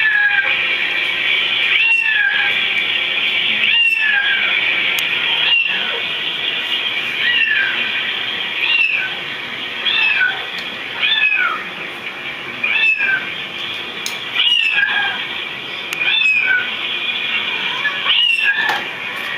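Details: Pet cats, listening to recordings of other cats meowing, meow along: short arching meows rising then falling, repeated about every two seconds over a steady high hiss.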